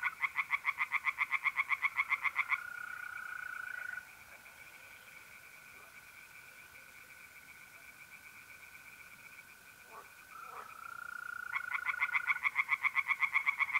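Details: Pond tree frogs on a mid-April night in north-eastern Italy give rapid pulsed rattles at the start and end. Between these bursts, a smooth, unbroken mole cricket trill carries on alone.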